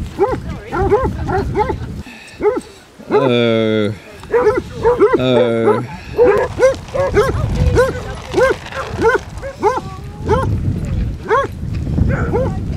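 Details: A pack of 23 Basset Hounds on a 5-mile group walk around Ham Hill, Somerset, bays continuously in rapid, overlapping barks, broken by two long, rich howl-like calls and accompanied by background murmur.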